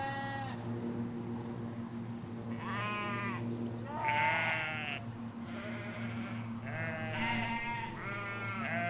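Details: Hampshire field flock of ewes and lambs, stereo recording from a hedge: a busy run of about seven tremulous, harmonic bleats, several callers answering one another, with a faint low rumble beneath.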